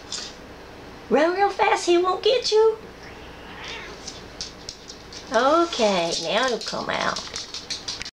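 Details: A laid-back rescue cat meows indoors in the background while a dog hesitates to pass another cat. She gives two bursts of repeated, arched, wailing meows, each rising then falling, with quieter sounds between.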